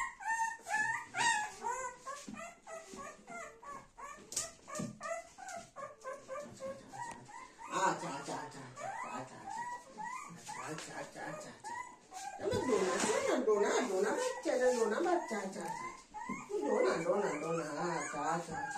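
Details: Golden Retriever family indoors, young Dona beside her mother Anna and grandmother. Steady runs of short, pitched whimpers repeat over and over, later thickened by overlapping whines and bursts of human voices.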